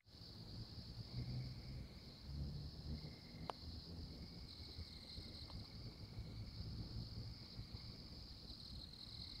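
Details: Tree frog in Oklahoma giving high, even trills roughly a second or more long, repeated with short gaps, over a steady high insect buzz and a low rumbling background.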